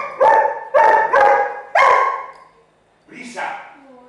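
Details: Dog barking: a young pit bull puppy and another dog together, the barks coming as repeated, sharp harmonic bursts, three close together then a fourth after a short gap, followed by a softer higher yelp and whine.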